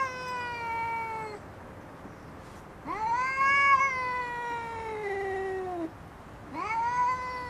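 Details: Female cat squabbling for possession of a garden seat, three long harmonic-rich yowls separated by short pauses, each rising sharply then sagging slowly in pitch.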